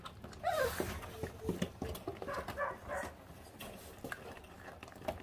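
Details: A rising, thin whine opens the moment as a litter of five 28-day-old feral puppies feeds on raw meat, followed by bursts of gnawing, smacking and bone clicks.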